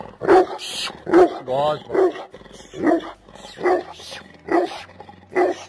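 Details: Bully Kutta, a large Pakistan Mastiff type dog from South Asia, barks deep and loud about seven times, roughly one bark every 0.8 seconds, with a short whining tone between the second and third barks.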